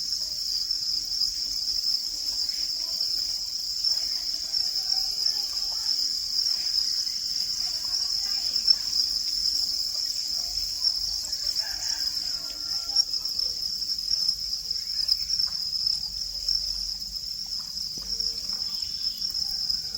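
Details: Continuous shrill cricket chirping, an even high trill that holds without pause for the whole stretch, with soft indistinct sounds in the background.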